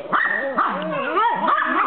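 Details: Four pet dogs, including a smaller red one and a black and tan one, playing together in an excited group: overlapping yips and high, wavering barks and whines crowd together without pause.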